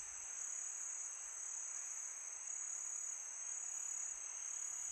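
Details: Crickets on a peaceful summer night: a steady, dense high-pitched trill that never breaks, several bright bands layered together, over a soft even hiss of wind.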